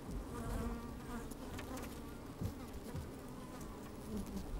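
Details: Honey bees working in an opened hive on a fine sunny day, microphone inside: deep rumbling hum with steady drone bands, a brief knock midway and light scratching movements.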